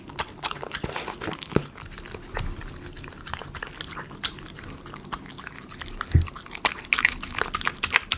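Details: Miniature Schnauzer eating chicken pot pie premium dog food indoors, close-up for ASMR: dense crunching and biting clicks, irregular sharp cracks with soft low thumps from chewing in a small room.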